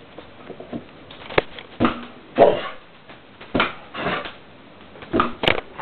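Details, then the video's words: Border Collie named Holly barking while playing with a balloon indoors; short, sharp barks come at irregular intervals, roughly eight within six seconds, in a small room. "Border Collie vs Balloon"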